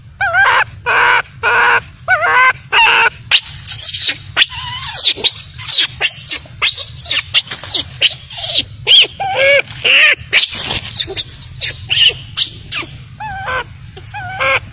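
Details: Crying of an abandoned baby macaque left by its mother: dense, shrill, wavering wails, partly harsh and screechy. They follow one another almost without pause, with a faint low rumble underneath.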